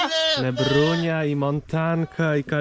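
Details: Domestic goats on a farm bleating during the morning chores, complaining to be let out: loud, drawn-out, wavering bleats, one long call and then several shorter ones in quick succession.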